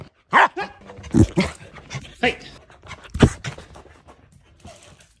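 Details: Corgi doing the zoomies: a few sharp, harmonic barks spaced about a second apart, mixed with panting, scuffling movement noise and a human voice in the background.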